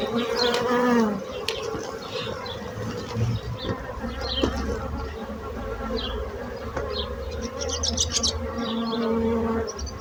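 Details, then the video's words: Bees buzzing. A clear droning hum at the start and end fades to a quieter murmur in between. Short high chirps and ticks are scattered through the background. "Bees buzzing sound effect"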